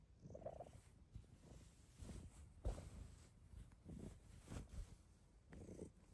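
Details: Female Bengal cat lying down on request indoors on a snowy day, purring loudly: a low, steady rumbling pulse throughout, while a person's voice repeatedly asks it to lie down.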